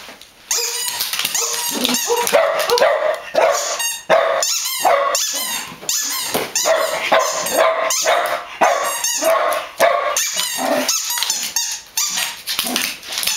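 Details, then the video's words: Several dogs barking in dense, overlapping bursts, the sharp barks coming rapidly one after another with a few higher yips mixed in, and almost no pause across the whole stretch. "собаки лают"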